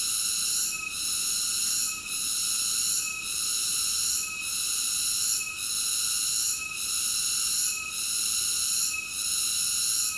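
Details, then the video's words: Shrill, unbroken cicada buzzing, high and metallic, with short regular dips in volume close to every 1.2 seconds, about eight dips in all. No other sounds. "Cicada ASMR Sleep Nature Sounds"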